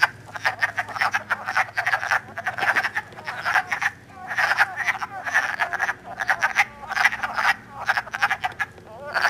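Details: Early-spring wood frog chorus during mating at Elmer, New Jersey, March 2012, recorded with an iPod: bursts of hoarse, chuckling croaks from many frogs overlap, swelling and easing every second or two above a low hum.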